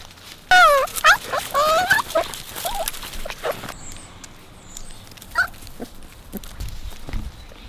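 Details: Puppies with Bek, outdoors on a sunny Monday: high, wavering whimpers and squeals sliding up and down in a burst of several calls, then a lone squeak later, over a quiet outdoor background.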